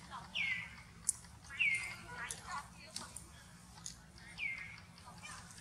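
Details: Baby monkey Eleno of the Amber group crying loudly after being hurt in a hard fight with June, as mother Elsa moves in to save her; thin squealing cries slide downward in pitch, three spaced across a few seconds over rustling background noise.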